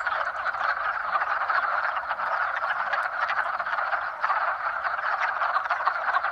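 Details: In spring, many frogs call together in a steady, unbroken chorus of rapid rattles and trills; these are mating calls made by males to attract females.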